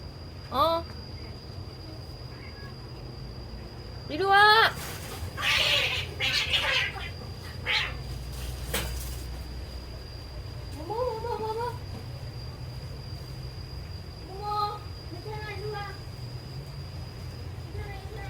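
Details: Yard cat in Laos at the start of the rainy season, returning after a territorial fight; several short rising, harmonic meows, scattered and irregular, with a woman's voice calling it in and rain pattering on leaves.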